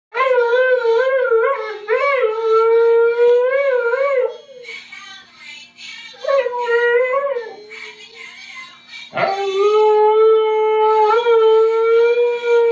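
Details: A female Siberian Husky howls along with a singing Rudolph toy at Christmas, in long, wavering tones that rise and fall, pausing briefly between phrases.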